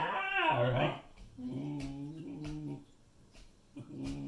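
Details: A Siberian Husky puppy indoors telling off her sister: a rising whiny vocal burst followed by low, rumbling growl phrases with steady harmonic tones, broken by brief pauses.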